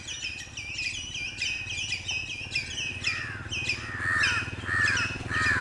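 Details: Squirrel territorial calling in defence of its territory: rapid, grating chatter notes in a steady series, later shifting to lower, hoarser calls over a constant low rumble.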